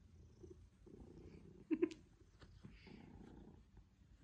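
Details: Low, even purring from Pippin, a Maine Coon enjoying one-to-one cuddle time and attention from his family, the rumble cycling in slow pulses with two short clicks or sniffs near the middle.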